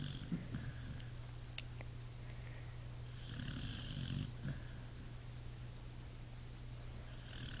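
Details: Pit Bull asleep, giving rough, rumbling snores; three breathy snore bursts with airy hiss, backed by constant low droning hum.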